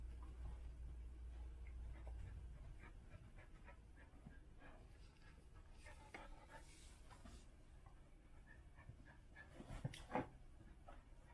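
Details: A Standard Poodle bitch in labour, giving birth to seven puppies, pants quickly and softly in rapid, somewhat uneven breaths. The sound is faint, with a few brief louder rustles and knocks.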